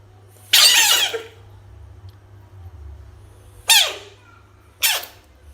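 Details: Frog screaming as it faces toys indoors: one long harsh, hissing scream of about half a second, then two shorter rasping screams roughly a second apart, each dropping in pitch at the end, over a steady low hum.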